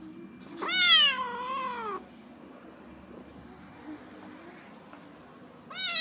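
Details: Four-month-old Domestic Medium Hair kitten, a found backyard stray up for adoption, said to meow a lot and love being stroked; one long wavering meow, then a second meow beginning at the very end, over a faint steady hum.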